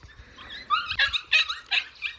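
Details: Puppies born in January 2021 to a small mixed-breed dog, three surviving and enjoying spring at a grandmother's home in Seongsu-ri, Hongcheon County, Gangwon Province, South Korea; about five squeaky, high-pitched whimpering yelps in short bursts against a quiet background.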